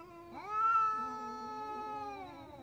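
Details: Adult domestic cat giving an angry meow before an attack: a single sustained, nasal yowl that rises sharply at the start and holds an even, slightly wavering pitch to the end.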